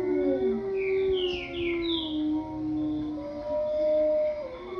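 Wolves howling: long, smooth, sustained tones that slide gently in pitch and overlap.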